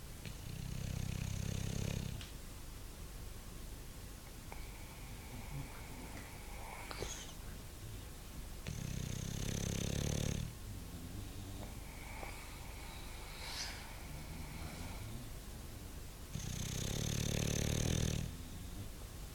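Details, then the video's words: Sleeping bulldog snoring in three deep, rumbling drawn-out breaths spaced roughly eight seconds apart. Faint steady tonal hums sound in the quiet gaps between snores. "Bulldog roncando"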